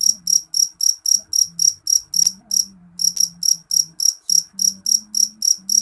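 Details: Piercing, high chirps from a jeliteng cricket repeat rapidly, close to four each second, with one short gap midway, over a soft low hum.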